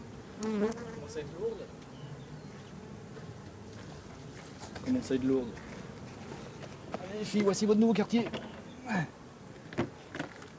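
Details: Drone-laying honey bee hive, its bees shaken from the frames away from the apiary and settling in a hollow tree trunk. A thin, sustained low hum with a steady tone and overtone rises and fades in several swells, with faint clicks and taps between.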